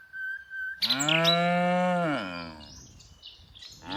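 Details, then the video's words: A single sustained moo from tame cows herded in the afternoon, holding steady before sagging downward at the end, with brief bird chirps around it. "Cows Sounds"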